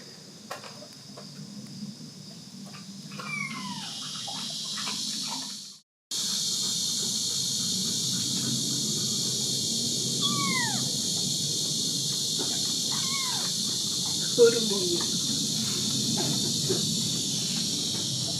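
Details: Young kitten alongside its mother at a Korean countryside house in Dorae village; three separated high, falling meows with clear overtones, steady insect buzzing and quiet outdoor background.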